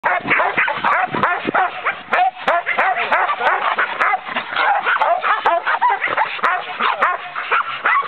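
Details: Australian Cattle Dog, a herding breed, giving dense, excited barks and high yips in quick irregular bursts, almost without pause, over a continuous chorus of overlapping yelps.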